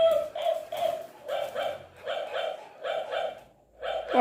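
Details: Shih Tzu fighting with a toy dog, giving rapid high-pitched yappy barks, often in quick pairs, roughly ten short bursts over four seconds with brief pauses between them.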